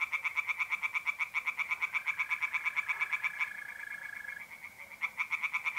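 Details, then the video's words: Tree frogs singing by night in a pond in north-eastern Italy in mid-April: loud, rapid pulsed croaking repeated about three times a second, pausing briefly, while mole crickets keep a steady high trill beneath. "singing tree frogs in pond"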